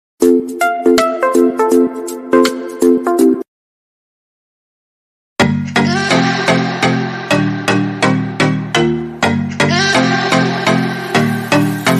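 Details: Bouncy plucked tune, then about two seconds of silence, then a fuller rhythmic melody with bass notes; no animal sound.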